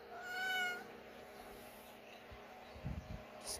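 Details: A Siamese cat in labour gives a single clear, slightly falling meow, followed by soft low rustling.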